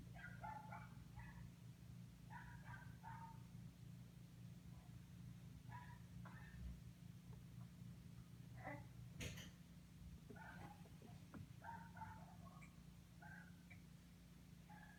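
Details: A neighbour's dog barking from a distance: faint, short harmonic barks in quick bursts, repeated throughout, over a steady low mechanical hum.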